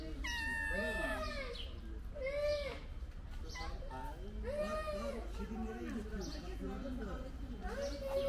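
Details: Stray kittens with their friendly mother cat: many overlapping high, arching meows repeated every second or so, several kittens calling at once, over low rumbling background noise.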